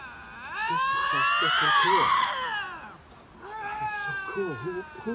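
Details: Two lynxes facing off, possibly disputing territory, produce a swelling, arching wail that rises and falls, followed by a quieter second moan; a man's voice murmurs low beneath.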